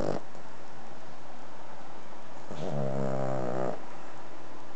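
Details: Sleeping Cavalier King Charles Spaniel aged three and a half, a frequent snorer: one faint snort at the start, then a single clear buzzy, harmonic snore lasting about a second, against constant low hiss.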